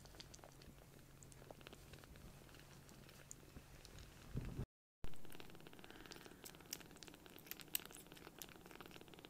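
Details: Tiny rescued baby kitten, palm-sized and just taken in, purring loudly while seeking affection: a deep, continuous throaty rumble, a brief rustle midway, then the purr carries on with faint handling sounds.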